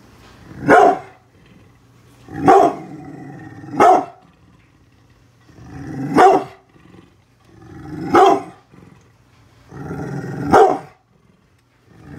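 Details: Guarding the house from construction workers outside, brindle pit bull Bullet lets out six heavy, booming barks at uneven intervals over twelve seconds, with short throaty growls rumbling between several of them.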